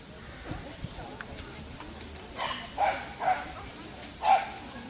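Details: Dachshund, a breed named in Russian as такса, in a recording linked to rabbit, giving three sharp mid-pitched barks spaced about half a second to a second apart in the latter half, over low background noise and faint voices.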